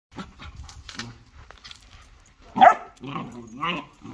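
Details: A German Shorthaired Pointer and a Jagdterrier fight, giving harsh snarling barks and rough, rising growls after a quieter stretch of muffled noise.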